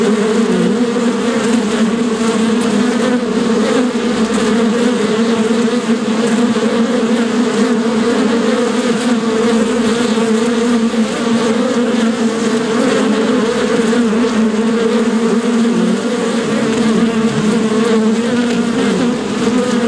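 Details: Steady droning hum of bees, an unbroken buzzing layer with a low fundamental and a brighter overtone, level and constant for the whole stretch.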